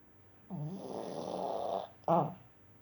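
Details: Dog snoring, one long rough rattling inhalation lasting over a second, followed by a shorter, louder snort-like breath.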